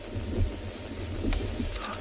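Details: A few crickets call on a very quiet, almost windless December afternoon at a South African game reserve: two brief, high, thin chirps about a third of a second apart over a low rumble.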